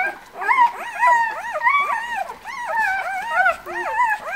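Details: White Swiss Shepherd puppies, a breeder's litter born on 11 August, keep up a steady stream of plaintive wavering whines, several voices overlapping, each cry arching up then sliding down, nearly two per second.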